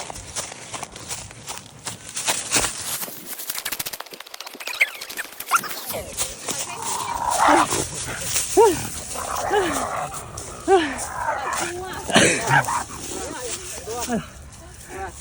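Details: A dog lets out a run of short, high yelps and barks in the second half, each a quick rising-and-falling note, while a person talks excitedly in Chinese; rapid clattering noise fills the opening seconds.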